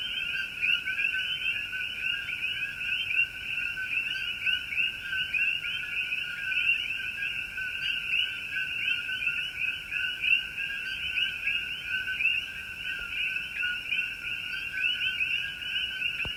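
Many frogs call together in an unbroken chorus, a shrill, fast-pulsed trill layered at two pitches. The sound holds steady throughout with no pauses, and no other sounds are noticeable.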